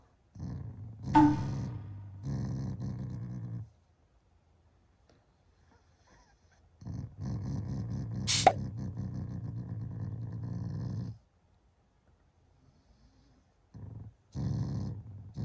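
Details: Shiba Inu growling affectionately at its owners in the morning, not angry; three low, gravelly growls of about three to four seconds each, separated by silences, with a sharp click midway.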